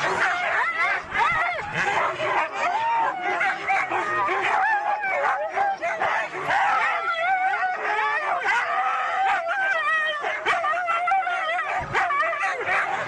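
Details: Several Siberian huskies at a race in East Anglia give a dense, continuous chorus of high yelps, whines and wavering howl-like cries, many dogs overlapping without pause throughout.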